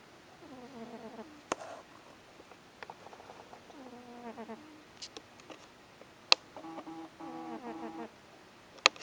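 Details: Cat snoring steadily: soft whistly tonal breaths repeat every few seconds, some fluttering, with occasional faint clicks in a quiet room.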